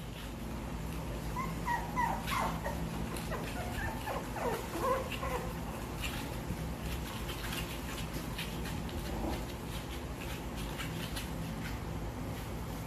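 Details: A family of Jack Russell Terriers, four puppies and two adults, gives short, high whimpering squeals over a steady low background hum.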